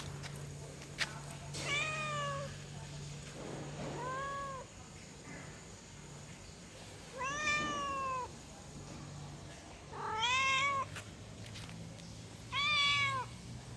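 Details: Female cat in heat calling for a male, giving a series of arched, harmonic meows about every two to three seconds, each rising then falling, some drawn out, over a constant low hum and faint clicks.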